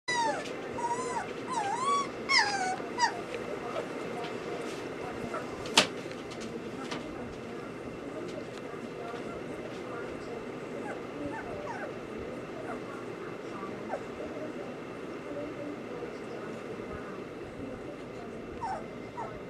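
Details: Samoyed puppies whimpering: a burst of high, wavering whines rising and falling in quick succession during the first three seconds, then softer, scattered squeaks against a steady background hum with human speech.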